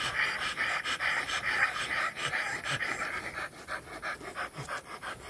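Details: Rottweiler dog during mating, breathing in fast, rhythmic breathy pants, about two per second, each a broad hissy burst, steady through the clip with faint background noise.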